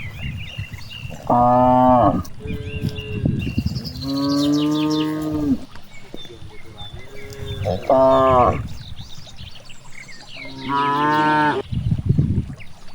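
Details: Cows grazing in a big rice field give four moos, varying from short nasal calls to a long, low lowing, with quiet stretches of rustling and faint birdsong between them.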